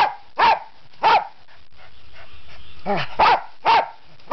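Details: Pet dog barking, eager to go for a walk: five sharp, loud barks, the first pair about half a second apart, then three more closer together near the end, with quiet room sound between.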